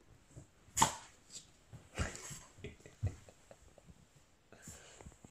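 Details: A Boston Terrier puppy, seeing a lion for the first time, gives a few short, sharp barks spaced about a second apart.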